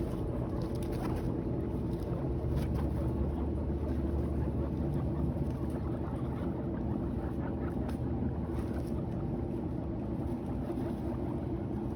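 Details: A constant low-pitched rumble, much like a boat motor, fills the recording, with gusts of wind noise over it. No animal calls stand out.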